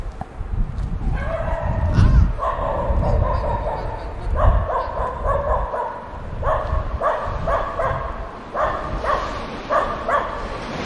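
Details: Dogs barking while playing together: bursts of harsh, harmonic barks arrive in quick clusters of two to four, with a steady low rumble and possible voices underneath throughout.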